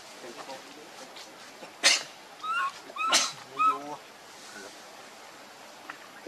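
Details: Baby monkey Leo, hungry and crying to beg milk from its mother: a cluster of short squeaky, wavering whimpers between two and four seconds, framed by sharp broadband bursts, then quieter background.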